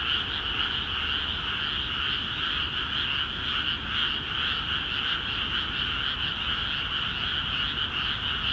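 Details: Frogs in Akiha Ward's flooded rice fields call busily, their massed croaks forming a constant rattling hum with a light, irregular pulse; nothing else stands out.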